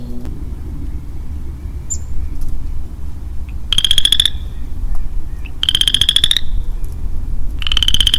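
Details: Lone male western chorus frog in early spring woodland, giving three short, pulsed, rising trills about two seconds apart, each like a finger run along a comb, over a steady low rumble.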